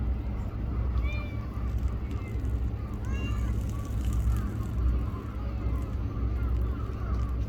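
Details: Small black-and-brown tortoiseshell stray cat in Japan, at a park or port, meowing as it sits beside a person and is petted; a short rising meow near one second, another around three seconds, over steady low rumbling background noise.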